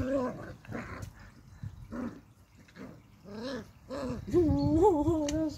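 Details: Beagle pups playing outside: a series of short, rising-and-falling whining yelps, repeated about four times a second, ending in a longer wavering whine, with people talking in Dutch nearby.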